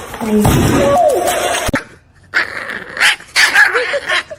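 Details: A dog gives a short series of whining, bending tones that rise and fall, followed by a brief lull and then scattered yelps, with human voices talking over much of it.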